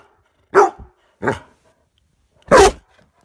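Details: Dog giving three short, rough barks indoors, the first two close together and the third louder after a pause of more than a second, with no other sound between them.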